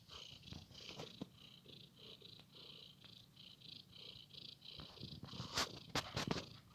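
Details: House cat at play in a blanket, its continuous pulsing purr rolling along evenly, then overlaid by louder rustles and thumps in the final seconds.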